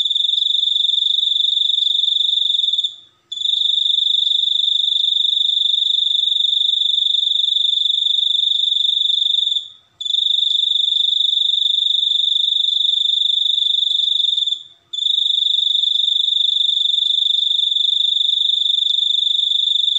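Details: Cricket giving a long, continuous high-pitched trill made of rapid pulses, broken by brief pauses roughly every five to six seconds, with a steady bright tone and faint higher overtones; no other sounds.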